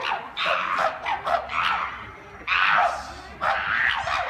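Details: Chimpanzees going wild at Chester Zoo, letting out loud, harsh, harmonic screaming calls in four or five bursts about a second long, separated by short quieter gaps, over a steady background murmur.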